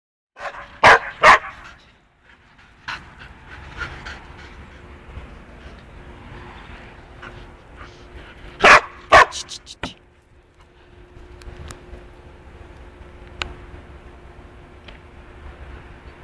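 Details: Two-year-old female standard poodle, crazy about balloons, playing with them; loud sharp barks come in a pair near the start and another pair midway, with softer panting, rustling and scattered knocks between.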